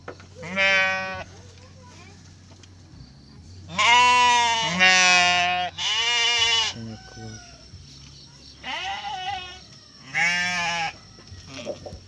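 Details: Garut ewe giving birth to triplets in a pen: about six loud, tremulous bleats in irregular bursts, several in quick pairs, separated by quieter gaps with soft human talk and background hum.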